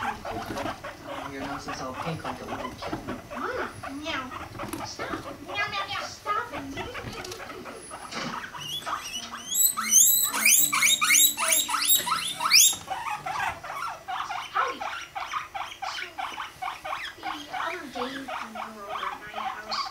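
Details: Mating guinea pigs, male Rumply and five-month-old female Fluff; rapid chattering squeaks and clicks repeat about two to three per second, swelling into a loud bright burst near the middle before settling.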